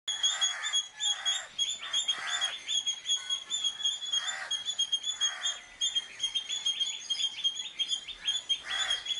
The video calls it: Indian Palm Squirrel (இந்திய அணில்) Sound